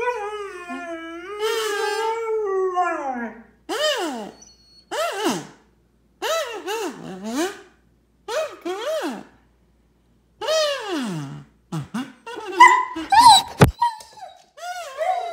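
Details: German Shepherd dog getting excited over a kids' kazoo toy: a series of long, wavering, high whines and howls, each sliding downward, in bursts with short silences between, a person's voice briefly heard near the end.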